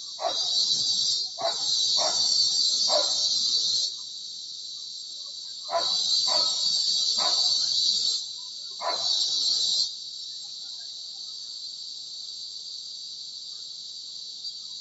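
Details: Cicadas (kuliglig in Tagalog) give loud, shrill buzzing bursts lasting a few seconds with pauses, heard from a bedroom window while dogs bark.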